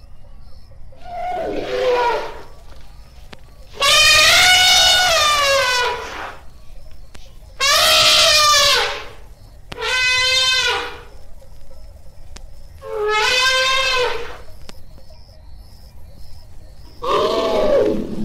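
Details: Elephant trumpeting: a series of loud, harsh, brassy blasts, each about one to two seconds long and rich in stacked overtones, separated by short quiet gaps, with faint background hum.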